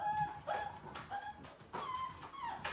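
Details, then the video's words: American Bully puppy from a litter of ten, the one that howls and cries a lot, being washed indoors in Houston, Texas: high, tonal whimpering whines that bend up and down, several short cries in quick succession. "So it's one dog in there that howls a lot, cries a lot, all of that."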